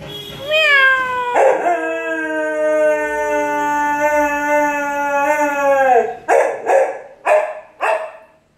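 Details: A male Cocker Spaniel gives a sustained, slightly wavering howl of about five seconds in response to a person imitating a cat's meow, breaking off into four quick, clipped barks.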